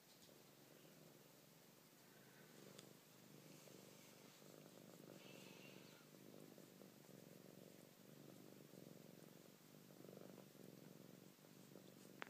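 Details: Purring of Maple, a Siamese cat, while the others play around her; an unbroken, gently pulsing low drone with faint rustling and a click at the very end.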